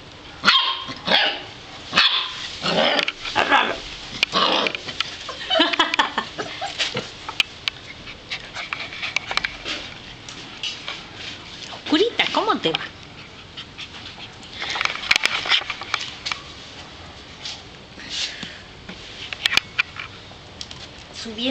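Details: Golden retriever puppies yipping and barking in a busy, overlapping run of sharp, high yaps and short squeals, bursts clustered over twenty seconds with brief quieter gaps between flurries.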